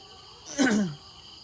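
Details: Cat giving a single short meow, a falling harmonic cry of about half a second that drops from a higher to a lower pitch, heard over a steady background hum of insects.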